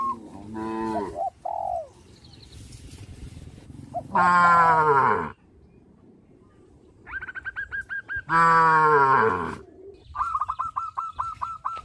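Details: Field of tame cows running and jumping for joy: two long, loud, deep moos with strong overtones stand out, separated by quieter stretches and a rapid series of high, clipped chirps.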